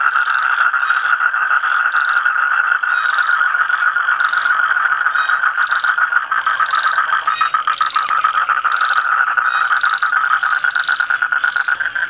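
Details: Many toads trilling together in a steady droning mass of quick pulses, overlapping calls keeping the sound unbroken from start to end, with a constant high background hiss.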